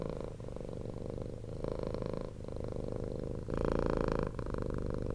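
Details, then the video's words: Low rumbling purr of a rescued ex-street cat, continuous and motor-like, with a stronger, louder surge near the end as the breathing deepens. "CAT PURRING"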